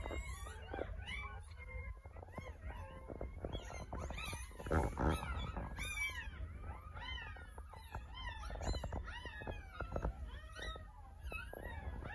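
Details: Litter of ten puppies lying in an incubator after delivery by caesarean section, awaiting their sutured mother; a dense chorus of rising and falling squeals and whimpers, several pups calling at once, over a steady low hum.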